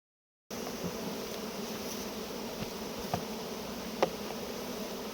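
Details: Honey bees at a hive during honey harvesting make a steady, dense buzzing hum, with a few sharp clicks and taps over five seconds.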